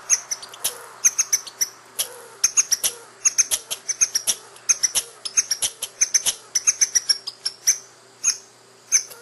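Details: Female squirrel, noted as having visible teats and very likely young, chattering and scolding at a familiar home spot; sharp, high clicking chirps in irregular runs, several per second with brief pauses.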